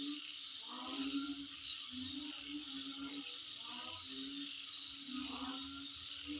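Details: Calling insects near a dwelling: a dense shrill ringing stays constant, topped by quick regular pulses, and lower tonal murmurs break in roughly once a second.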